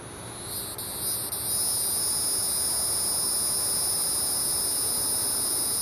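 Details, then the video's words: A hieroglyphic cicada (Neocicada hieroglyphica) calls from a pine tree, seemingly right overhead but unseen, at 8:11 PM on July 12, 2010, in Manchester Township, New Jersey. It gives a steady, high-pitched buzzing drone that swells in after the first second. "Cicada (Neocicada hieroglyphica) calling"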